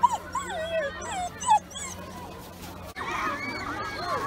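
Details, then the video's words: Excited Samoyed at a UK beach on a 31-degree day making its happy whining noise: wavering, sliding whines rising and falling in pitch, a few short squeaks, with a low steady hum behind. "Silly noise - complaining"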